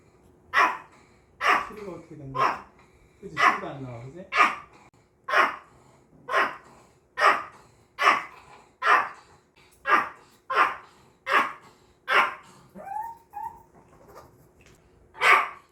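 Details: A Maltese, watching a YouTube video of itself, gives sharp, high barks in a steady series, roughly one each second.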